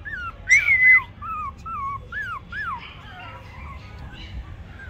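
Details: Toy Pomeranian puppies, male and female, whimpering: thin, high whines that slide up and down in short bursts, several overlapping in quick succession, with a faint low background hum.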